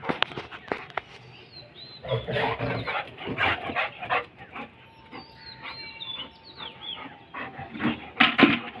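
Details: Golden retriever fighting with crows, letting out repeated harsh, broad barks in uneven bursts, while thin, high, squeaky bird calls sound above it and a steady mid-pitched hum runs through the middle.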